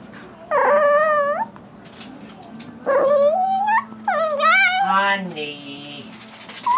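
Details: Pet Chihuahua teased while chewing a bone, making loud, whining growls that sound like a dolphin. Three long bursts of bent, quavering squeals, each lasting about a second, with a faint voice in the background.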